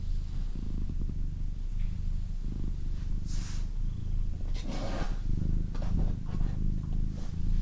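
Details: Doroti, a female pet cat, purring steadily close up; a deep, even rumble swells and fades with each breath, roughly every second and a half, with faint rustles in the background.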